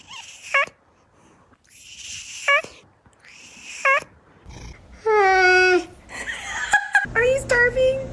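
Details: Indoor cat giving odd noises: several short, sharply falling mews spaced about a second apart, then a drawn-out, wavering, sinking yowl and a few choppy meows, with human voices talking in the background.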